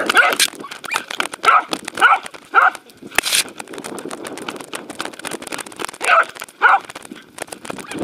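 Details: Welsh Corgi Roku chasing a Sheltie at a dog run, 11 February 2019, Insta360 camera: quick clusters of short barks at the start and after six seconds, with a sharp knock and outdoor bustle between.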